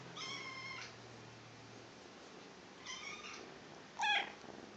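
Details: Cat up for adoption meowing three times: two drawn-out, high, harmonic-rich meows about half a second each, then a shorter, sharper meow near the end, with quiet indoor background hum between calls.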